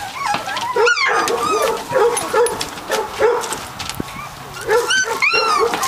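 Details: Three-week-old Catahoula puppies of the Duke litter, parents Dixie and Beau, giving short nasal whines in quick succession, with a few piercing upswept squeals standing out over the litter's constant murmur.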